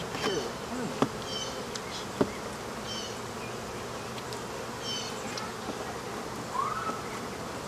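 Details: African honey bees buzzing around a hive being removed from behind a wall; a steady diffuse buzzing drone fills the clip, with occasional knocks and clicks of work tools and brief voices.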